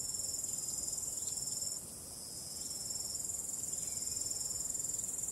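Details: ['On a calm starry night, crickets keep up a piercing, rhythmic pulsed chirping that briefly fades around the middle and then swells back.']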